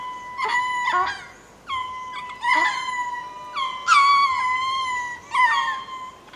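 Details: At Berenty Reserve, Madagascar, ring-tailed lemurs going to roost give spacing calls: steady, nasal, howl-like mews held level or slightly falling, answered by overlapping voices, with short yelping onsets.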